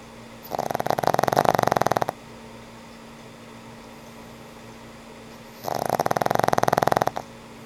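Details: An old pug asleep and snoring: two long, rasping snores of about one and a half seconds each, built from rapid fluttering pulses, separated by several seconds of quiet breathing.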